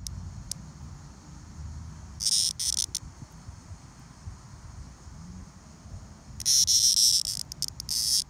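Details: Male Linne's cicadas, two hand-caught individuals from Rumson, New Jersey, 2020, one molted under 12 hours earlier, giving two short harsh high-pitched buzzy bursts, the second longer and pulsing, over a quiet low rumble.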